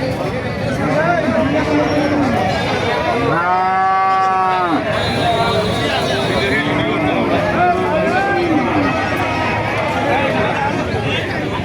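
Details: Indian bullocks offered at a cattle market in Thakurgaon district, Bangladesh: a loud, steady harmonic moo stands out around the middle, with fainter moos and constant crowd talk behind.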